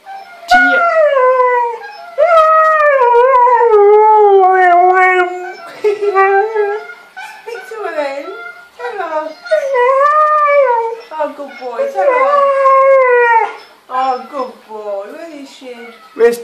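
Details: Male Siberian Husky indoors, said to be lovesick and missing his female mate while watching footage of himself mating; long wavering howls with sliding pitch, several drawn-out cries separated by short breaks, a woman's voice asking where she is in between.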